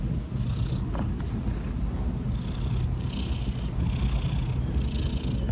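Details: Kittens playing with a rope make a steady low purring rumble throughout, with faint higher chirp-like bands appearing now and then above it.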